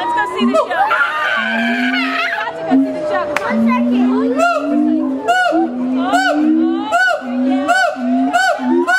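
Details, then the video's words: Captive siamang gibbons at Miami Metrozoo howling: a run of short, low, rising booming notes, then loud harsh barks rich in overtones, repeated about every half second and speeding up, with visitors talking and laughing nearby. "Siamang Gibbons howling"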